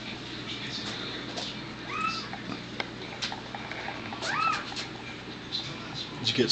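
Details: Miniature dachshund at home during the delivery of the fifth and last puppy of a litter, Sunday evening, April 19, 2009, the pup stuck and pulled out; two short arched squeals, rising then falling, about two seconds apart, amid handling rustle.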